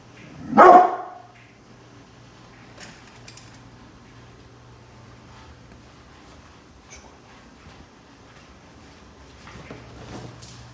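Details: Brindle pit bull guarding the house from construction workers outside, one loud deep bark near the start followed by a long low steady hum and quiet background.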